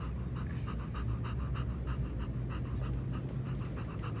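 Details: Three-legged German Shepherd named Nana, running and in good form today, panting in quick, even breaths, roughly four per second, over a steady low rumble of wind and movement.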